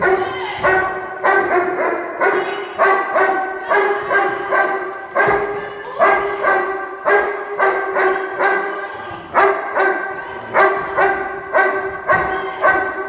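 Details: Fourteen-month-old Doberman barking during object guard training: deep, harmonic barks in a steady rapid series of roughly twenty over thirteen seconds, some doubled, with no pauses and no other clear sounds.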